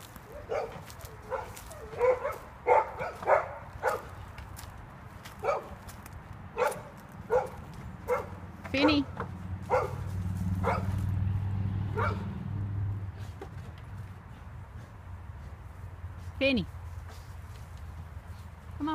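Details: Dog barking repeatedly in short sharp bursts, roughly one or two per second at first with uneven spacing, then fewer barks later, with a person talking and a low rumble in the middle.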